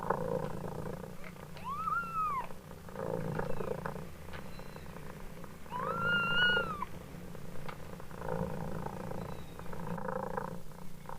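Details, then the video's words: Mother cat purring steadily with low pulsing rumble while her kittens meow; two clear rising-then-falling meows stand out, the second longer, over the continuous purr. "Ibunya mendengkur,anak kucing miaow miaow"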